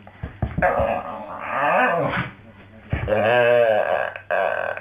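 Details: Jo the Staffie sings from the floor: two drawn-out warbling moans, bending up and down in pitch, separated by a brief quieter pause.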